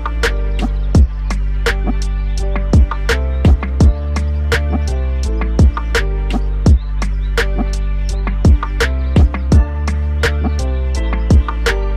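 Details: Steady beat-driven music with deep bass and sharp percussive hits; no animal voice comes through.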